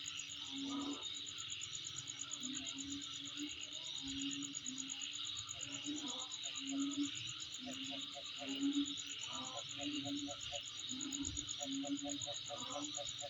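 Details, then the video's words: Steady high insect trill with rapid regular pulses over a buzzing chorus; low hums swell repeatedly, and short clipped mid-pitched notes repeat in runs near the end. "Sound Of Insect In My Place"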